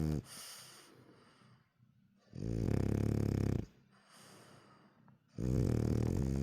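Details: A sleepy French Bulldog with half-open eyes snores in loud, rumbling, low bursts separated by quieter breathing. Finding: French Bulldog.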